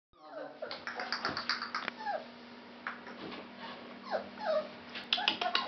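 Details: Fawn Labrador Retriever puppies give short, high squeaky whimpers and yelps that slide up and down in pitch.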